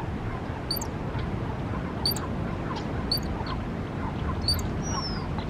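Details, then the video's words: In Lovers Point Park, Pacific Grove, a ground squirrel sounds its alarm: sharp, very high squeaks repeated about once a second above steady loud wind or surf rumble. "Sounding the squeak alarm"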